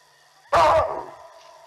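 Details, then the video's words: Baboon alarm call given on spotting a leopard walking through while elephants were being watched, Olifants River, 18 June 2020: one sudden loud, harsh bark about a third of a second long, then a quiet steady background hum. "when the Baboons started alarming"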